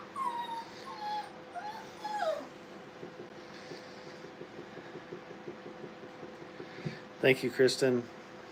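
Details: Brittany puppies at playtime in a training kennel, giving thin, falling whines in the first two seconds, then a quiet stretch before a quick burst of sharp yips near the end.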